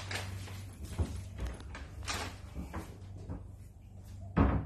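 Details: Indoor room sounds: a low steady hum, soft bumps, a cupboard or door closing and a sharp slam near the end, with no animal voice heard.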